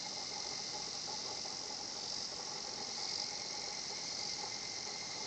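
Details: Kana-kana song of the higurashi cicada at a tranquil nature spot; an unbroken high sizzling buzz swells slightly now and then, over a faint steady lower tone, with no other animals clearly heard.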